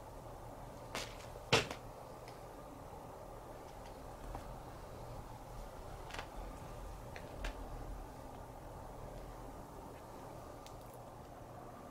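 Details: Quiet indoor hum broken by a few sharp knocks and clatters, like a cupboard or object being moved, with no animal voice.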